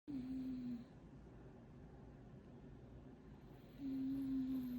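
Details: Momo, a sleeping pet cat, snoring loudly: a steady, low, whistling hum on each breath. One breath ends in the first second and another starts near the close, with quiet room hush between them.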